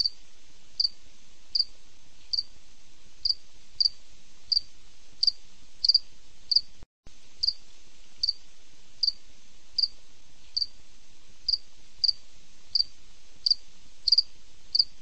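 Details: A cricket chirps steadily at night, short high pulses repeated roughly every three-quarters of a second.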